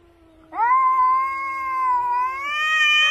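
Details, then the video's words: Domestic cat giving a long drawn-out meow after half a second of quiet, steady and tonal with rich harmonics, holding level then rising slightly toward the end; clean recording with no other sounds. "HILARIOUS CATS"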